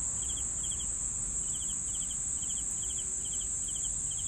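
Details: Cricket chirps come in brief double or triple pulses, roughly three per second, over an unbroken high-pitched insect hum and faint low background noise.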